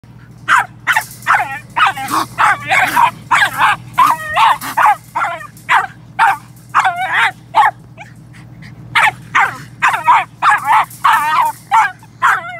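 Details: Jagdterrier baying at a raccoon caught in a dog-proof trap at a deer feeder: loud, rapid, ringing barks with an upward inflection, about twenty in quick bursts, with a brief pause near the middle and a steady low hum underneath.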